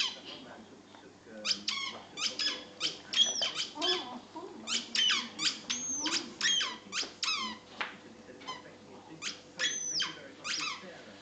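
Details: Patterdale terrier Moppy whining indoors out of jealousy, really wanting the ball. Piercing squeals rise and fall in dense runs, some long and bending, others clipped, nearly continuous for several seconds before thinning to sporadic yelps over a low hum.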